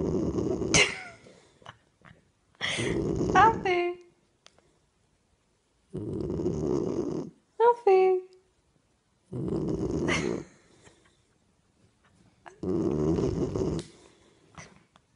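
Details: Sleeping Springador puppy snoring. Rough, rasping breaths come roughly every three seconds, with occasional short, high squeaks and whimpers between the snores.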